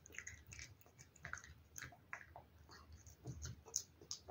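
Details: Cat chewing wet food, with light crisp smacks and tongue clicks, quiet and irregular, a few sharper clicks toward the end.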